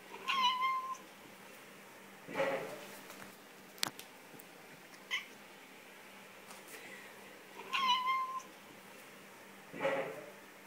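A Siamese cat gives loud, drawn-out meows, several in a row with short pauses between them.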